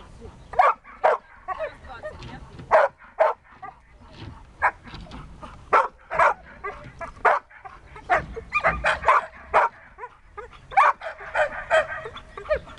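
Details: Siberian Husky Dexter at search and rescue practice, loud single barks spaced about half a second to a second apart, some softer yips between, a voice faintly present.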